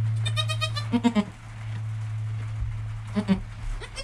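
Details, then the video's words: Newborn kid Joel within an hour of birth, his mother Penny calm, recorded by GoPro; a quick run of thin trembling bleats, then two louder pulsed cries, over a continuous low electrical hum. "Baby Goat - One Hour Sound and Video"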